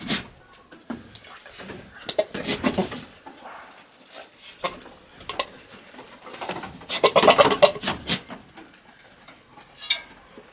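A billy goat courts females with irregular bursts of sputtering, snorting, blubbering noises.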